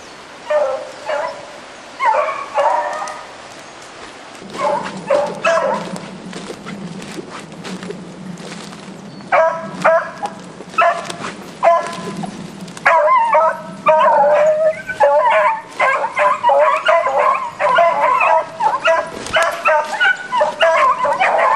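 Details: Pack of beagles hunting roe deer: repeated harmonic baying barks and yelps, single cries spaced a few seconds apart at first, then several hounds calling together in rapid overlapping bursts, with a low hum underneath.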